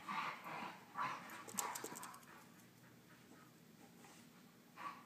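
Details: Wrestling Husky pup puffs out rapid panting breaths and a few snorts in the first two seconds, then goes mostly quiet apart from one final huff; faint scuffling is heard throughout.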